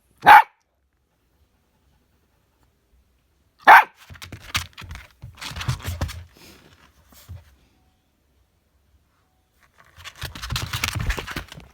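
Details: Husky and chihuahua playing together indoors in a small room, trading a 'serious conversation': two sharp, high barks about three seconds apart, followed by low rumbling growls and grumbles, then a longer noisy burst of growling play near the end.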